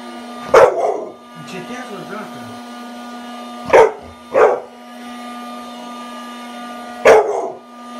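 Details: Playful eight-month-old American Bully puppy with a new teddy bear birthday present barks four times at uneven intervals, two of them close together, over a steady electrical-sounding hum.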